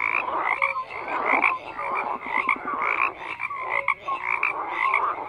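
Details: Frogs croaking together in a dense chorus, overlapping pulsed croaks and short tonal notes layered between about one and three thousand cycles, a continuous busy wall of calls with no other clear sounds.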